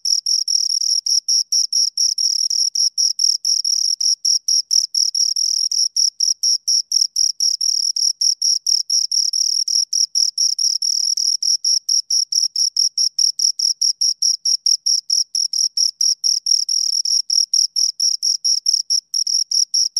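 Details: Steady high-pitched chirping from two crickets, dense rhythmic pulses following one another without pause for the whole stretch, bright and metallic in tone, no other noises.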